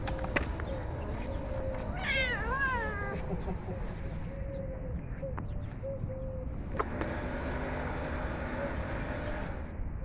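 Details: Domestic cat, hungry and eating food, lets out a wavering, rising-then-falling meow about two seconds in, followed by a faint steady tone and continuous low rumble.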